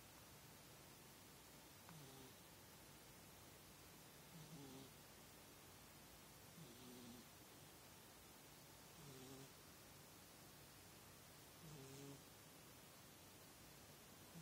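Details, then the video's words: A sleeping female pet cat snoring, with soft tonal breaths roughly every two and a half seconds and about five snores over a steady indoor hiss. "Snoring Cat Snores"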